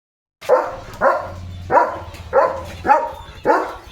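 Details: German Shepherd named Leo, out in open green countryside with his owner, barks six times at roughly half-second intervals, each bark a short rough burst with a rising onset; low hum underneath.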